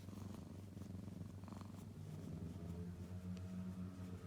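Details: Kitten named Hachi purring, a low steady rumbling pulse repeated several times per second, soft and close, with faint background hiss.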